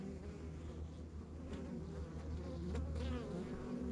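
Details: Honey bees in a rural backyard beehive, a steady low droning hum with layered buzzing tones that holds level throughout, no other clear sounds.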